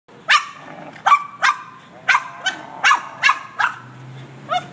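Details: Boston Terrier barking excitedly at a car's windshield washer: sharp, high barks in an uneven series, about eight in under five seconds, with a faint low hum of the car behind.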